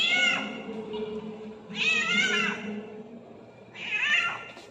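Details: Hungry ginger cat blocking the path, meowing loudly: three clear, bright, drawn-out meows about two seconds apart, each rising then falling, over a low steady background hum.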